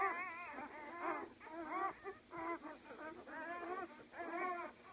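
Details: Newborn Great Dane puppies from a litter of 12, born today, whine and squeal in overlapping, wavering high cries.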